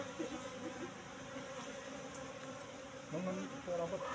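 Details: Asian honey bees (Apis cerana) in a cultivation box, colony moved from the forest about three months earlier, at honey harvest: a steady droning hum with layered tones, a louder swell near the end, soft human voices nearby.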